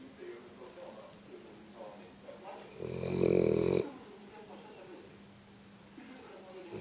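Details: Sleeping pet dog snoring: a single loud, rough snore of about one second rises out of quiet breathing, with faint soft rustles before and after.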